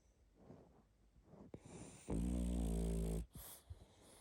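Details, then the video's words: Sleeping pug snoring and snuffling. Soft breathy sniffs build up to one loud, buzzing snore lasting about a second, followed by quieter snorts. "Храп и сопение мопса"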